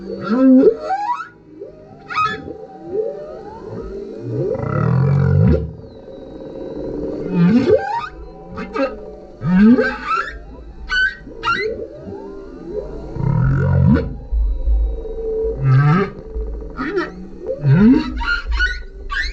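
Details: Singing male humpback whale under a kayak, GoPro recording: a varied sequence of low grunting moans, rising whoops and high squeaky cries, repeated in phrases every two to three seconds.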